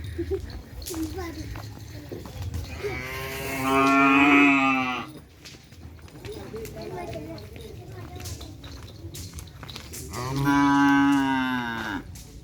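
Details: White-coated Madura cattle at a kerapan sapi bull race event, giving two long, loud, drawn-out moos several seconds apart, each rich and nasal with a steady pitch, between quieter stretches of crowd murmur and background noise.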